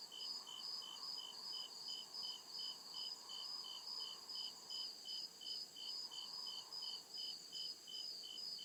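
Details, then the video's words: Crickets chirping at night in the deep woods: steady pulsed trills about two and a half per second, high-pitched and even, with a continuous higher shimmer of other insects and a faint low hum underneath. "CRICKET CHIRPING SOUND"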